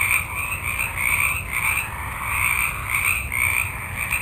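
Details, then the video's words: A multitude of frogs calls at night in a forest: dense overlapping croaking pulses in a high, rasping band, swelling in bursts roughly every half second, with a steady faint hiss underneath. "Forest Ambiance With Frogs Ext Night, Multitude Of Frogs"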